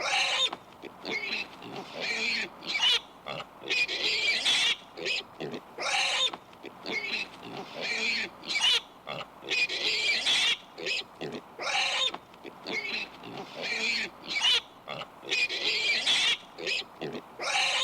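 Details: Pig squealing and grunting in a steady series of rough, noisy bursts about every second or two, shrill squeals mixed with lower snorts, the sequence recurring in a similar order across the recording.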